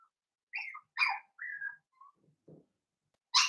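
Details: Blenheim Cavalier King Charles Spaniel puppies, a New Year litter of five, squeak in their indoor pen: short high whistled whimpers, a brief drawn-out squeal, a soft low grunt and a final sharp yelp.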